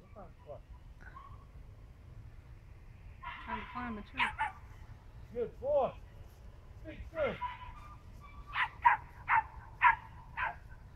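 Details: Young squirrel dog trailing and treeing a drag, trying to climb a tree: short, rising-and-falling harmonic barks in bursts, several close together, while a man talks and praises the dog.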